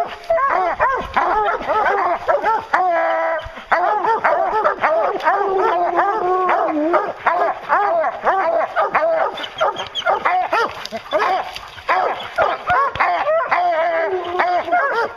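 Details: Hounds chasing a bear keep up a loud, unbroken chorus of bays, overlapping barks and longer drawn notes from many dogs at once, with a brief rattling noise early on.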